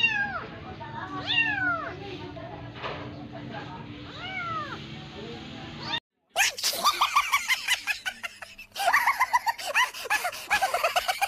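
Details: Persian cat with a kitten made to nurse from a cat that is not its mother. Arched, rising-then-falling meows repeat over voices, then a brief gap gives way to rapid, harsh, pulsing cries.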